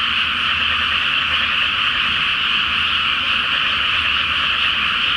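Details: Frogs in a great chorus from a flooded rice paddy before rice planting, on a full-moon night in May: a dense, unbroken wall of overlapping croaks with no gaps, plus a faint low hum underneath.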